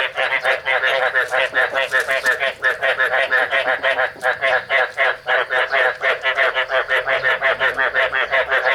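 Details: Chinese edible frogs at breeding time give rapid, rasping croaks in a steady run, males calling to attract females while a female is expected to release eggs soon.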